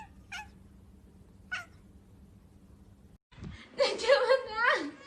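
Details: A domestic cat, filmed indoors, lets out a loud, drawn-out, wavering meow across the last second and a half, after two short tapping clicks and a steady low room hum.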